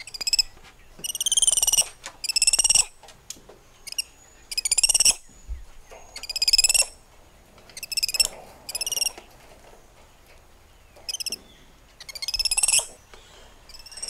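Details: High, pulsed, quavering cries from spider monkeys moving through lush treetops. The calls come in bursts of about a second, separated by short pauses, with faint softer calls between louder ones.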